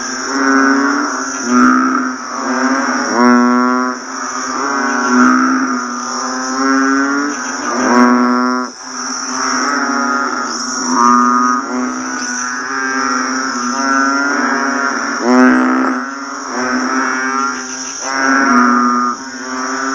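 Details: Chorus of banded bullfrogs after rain: overlapping low bleating moans, harmonically rich and slightly rising, follow one another with irregular swells in loudness, while a faint continuous high insect tone runs throughout.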